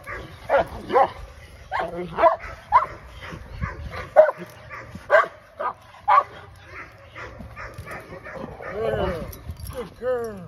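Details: Aries the English Mastiff at a first training session gives repeated sharp barks roughly every half second, then human voices take over near the end.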